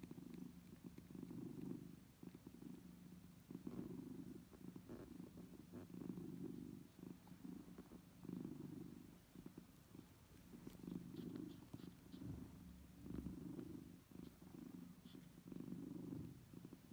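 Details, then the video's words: Nursing kittens at their mother's side, the mother feeding them: low throaty purr rising and falling in long breath cycles of roughly one to two seconds, with occasional light ticking from suckling. "Hiç Süt İçen Bebek Kedi Sesi Duydunuz Mu"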